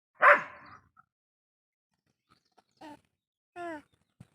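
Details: A pet dog gives one loud, harsh bark, then falls quiet and lets out two short, tonal yips about a second apart, ending with a faint low thump.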